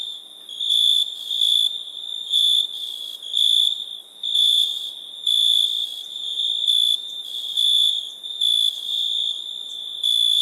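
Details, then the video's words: Crickets at night: a steady high, pure-toned ringing with louder pulsed bursts of chirping about once a second, overlapping and uneven, with no other sounds. "Night ambience cricket sounds"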